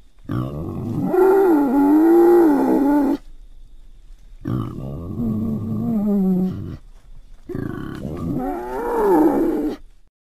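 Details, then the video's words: Wild boar of Central Europe: three long, loud, growling roars, each two to three seconds with a wavering, slightly rising and falling pitch, separated by brief silences. "Central European Boar Sound Effects"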